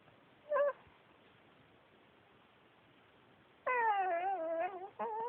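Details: Yuyu, a male Pekingese adopted from a shelter, talking indoors: a brief high yelp, a long pause, then a drawn-out wavering whine with rich harmonics that rises and falls for over a second, and a short final whimper.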